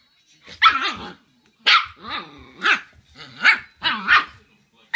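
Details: Shiba Inu puppy indoors, greeting its returning owner by barking nonstop at the owner's feet, seemingly angry at their smell; five loud, harsh barks over five seconds, some with whiny, wavering tails between them.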